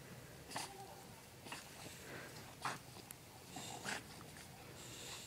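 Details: An English Bulldog and a French Bulldog playing tug of war, giving noisy, wheezy snorts in short broadband bursts roughly once a second, with a faint human voice in the background.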